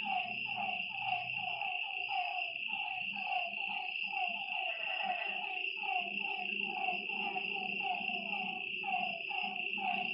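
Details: A night-time lakeside frog chorus: many quick falling notes overlap continuously, with a constant shrill insect trill above and a low hum beneath.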